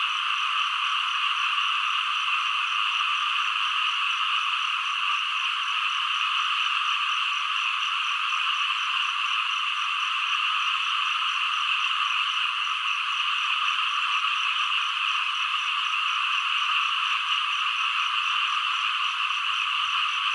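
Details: Frogs and green frogs calling together: a dense, unbroken chorus of high, buzzing trills that holds steady throughout, with no pauses or other sounds.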